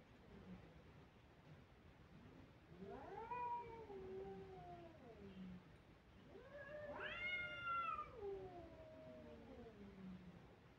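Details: Kittens crying. Two long, drawn-out meows, each rising quickly and then sliding slowly downward, the second louder and higher. Faint background hiss.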